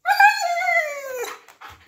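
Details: Siberian Husky indoors asking to go outside, giving one long vocal moan that starts high, wavers and slides downward over about a second, with rich harmonics, then a brief soft noise.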